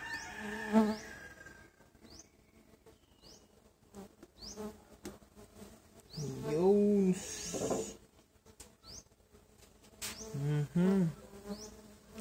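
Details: Stingless bees (Tetragonula biroi) from a feral hive, at the first inspection of their box one month after transfer: low droning buzzes that swell and bend in pitch as bees pass close, among sharp clicks and taps.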